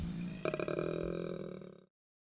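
A koala bellows, a deep, rough, belching snort pulsing rapidly for over a second.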